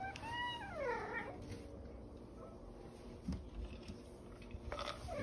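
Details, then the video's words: The OK Cat, a house cat whose meow sounds like "okay", gives one clear descending meow at the start that slides downward and fades, followed by quiet room noise, faint music and a person's voice near the end. "Talking Cat Says Ok"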